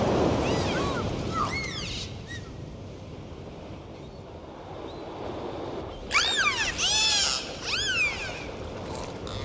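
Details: Underwater in the sea, dolphins whistle in short arched sweeps, a few early on, then a louder cluster of bright, harmonic-rich whistles later, over a steady wash of water.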